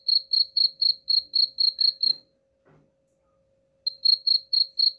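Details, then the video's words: Chirping cricket, offered as a rat repellent: nine quick, high, ringing pulses, then silence broken by a faint rustle, and the even chirping starts again. "suara jangkrik pengusir tikus ampuh"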